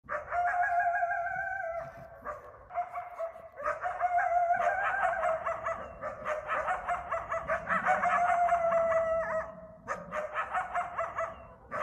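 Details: Eastern coyotes (coywolves) at night in a backyard in Bellingham, Massachusetts, during the mating season. Several sustained, steady howls with layered overtones overlap, broken by short, sharp barks and yips that come in quick, irregular bursts.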